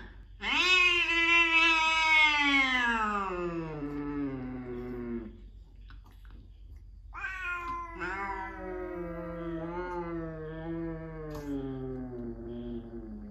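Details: Small cat named DeeDee, surprisingly loud: two long, drawn-out meows, the first about five seconds and sliding down in pitch, the second after a short pause, wavering and slowly falling, in a quiet small room.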